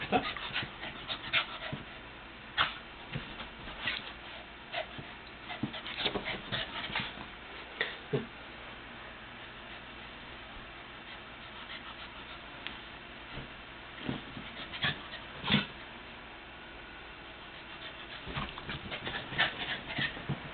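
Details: Playful female Lhasa Apso puppy, June 2007, pants and snuffles in quick, scattered bursts with a few soft whimpers.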